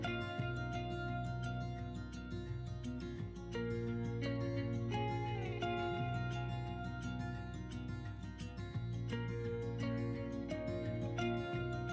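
Plucked guitar music plays throughout, with steady strummed chords and no animal sounds.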